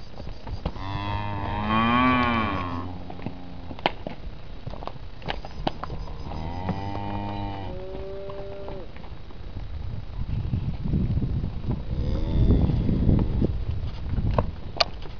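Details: Hereford cattle, pregnant cows and yearling calves: two rich harmonic moos, the first wavering and rising then falling, followed by a shorter call, then a stretch of low rumbling noise and a faint final moo.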